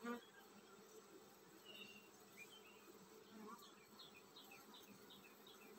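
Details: Droning hum from a honey bee colony about to swarm, low and continuous, overlaid by brief bird chirps and a short series of rising notes in the second half.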